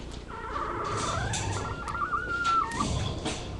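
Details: Labrador retriever puppies on a live puppy cam: one long, thin, steady whine that holds its pitch for about two seconds, then slides slightly down, over a soft background hiss.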